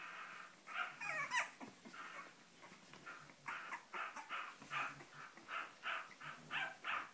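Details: Cavalier King Charles Spaniel yapping in repeated hoarse barks. A squeaky, warbling yelp comes early, then the barks settle into a fairly even series of about two per second.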